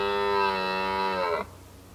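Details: Red deer rut in 2019, with a single mighty bellow. A dense, harmonic, steady roar lasts about one and a half seconds, then breaks off sharply into quiet background hum.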